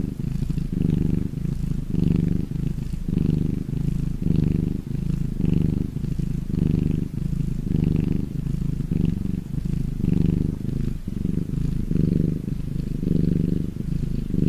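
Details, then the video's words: Happy domestic cat purring: a continuous low, deep rumble that swells and eases with each breath, just under once a second, steady and close throughout. "CAT PURRING SOUND"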